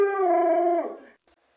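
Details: A single short howl from Luoluo, a pet Alaskan Malamute: clear and tonal, held level for under a second before sliding downward and fading into quiet.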